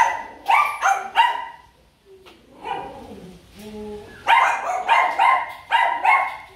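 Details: Several dogs, mostly Rottweilers, in the kennel area of a Rottweiler breeding farm in Kon Tum city, Vietnam, bark in loud, harsh, overlapping bursts. After a quieter stretch with softer whines and a brief voice, the barking surges back strongly.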